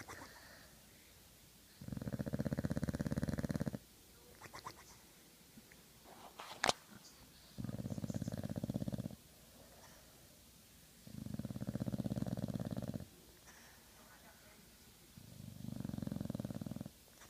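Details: Sleeping Old English Bulldog snoring steadily: four long, low, raspy buzzing snores of about two seconds each, separated by quiet pauses and recurring roughly every three and a half seconds, with one sharp click between them.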